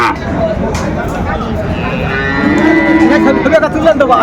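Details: A Sahiwal bull calf lows at a market in Chattogram, Bangladesh, in December 2024. It gives a long, steady moo with a slight rise, over background voices and bargaining.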